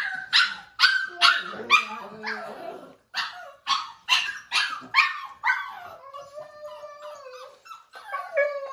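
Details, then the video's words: Indoors at dinnertime, the five-week-old foster pup Bubbles complains with a rapid run of high yaps roughly every half second, ending in a drawn-out, wavering, falling howl. "5 week old Puppy howl"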